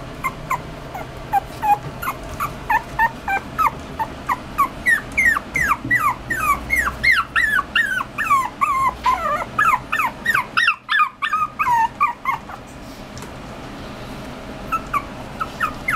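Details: Poodle-Chihuahua mix puppy (Canis familiaris), whimpers.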